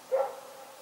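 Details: A dog barking at night gives a single short, tonal bark that fades quickly into quiet background hiss.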